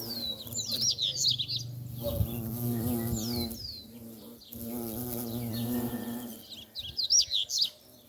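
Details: Bumblebees buzzing among wisteria flowers. A steady droning hum with stacked harmonics swells and fades as insects pass close, while bright high-pitched bird chirps sound at the start and end.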